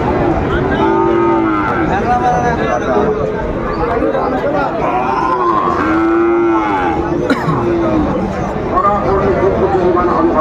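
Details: Sahiwal bull calves among crowded livestock at a cattle market in Kushtia, Bangladesh, 13 February 2025: several cattle give short arching moos and longer bellows, mixed with a sharp clatter and the hum of people talking.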